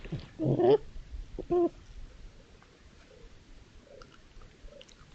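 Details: Red foxes caught on a trail camera at night at a woodland edge surrounded by fields in East Sussex, playing or fighting; two short wavering harmonic cries in quick succession, then soft scattered rustling.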